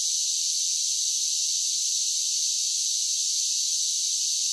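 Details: Summer cicada chorus as an unbroken, even, hissing high buzz held at constant loudness throughout, with no other sounds.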